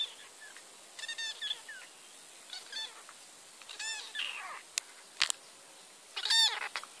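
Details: Kitten being hand-fed from a bottle, giving high, harmonic meows in short bursts, some rising then falling, about five calls in seven seconds, with a few sharp clicks and handling noises between them.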